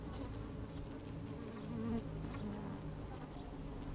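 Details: Honey bees busy in an opened hive, sunny day with a little wind: rich low hum inside the comb, rising to a brief louder buzz near two seconds, with soft crawling and scraping sounds.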